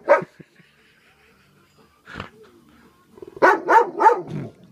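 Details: Male pet Golden Retriever at play, being offered beer and told to sit; a man speaks first, then three sharp barks come in quick succession near the end.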